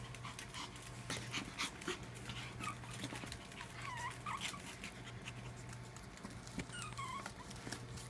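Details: Charlie, a black and white Pomeranian, playing on the floor with his sister and mom; soft, high whimpering whines that rise and fall in short strokes near four and seven seconds, mixed with breathy panting over a steady low hum.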